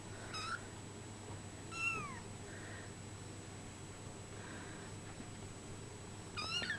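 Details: Brown Bengal kittens, 24 days old, giving thin, high mewing calls: a short mew near the start, a longer falling mew at about two seconds, a couple of faint soft mews, then another high mew at the end, over a steady low hum.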